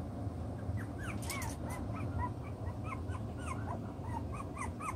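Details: Chocolate brown Toy Poodle puppies, six weeks old, playing and sorting out their pecking order; a rapid series of high, arched whimpers and squeaks, several overlapping, over a steady low background hum.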